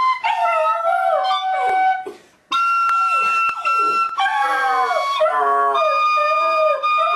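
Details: Pet Border Terrier howling along to the carol Silent Night: long wavering, harmonic-rich howls that rise and slide, broken by a brief pause near two seconds, with steady held musical tones underneath.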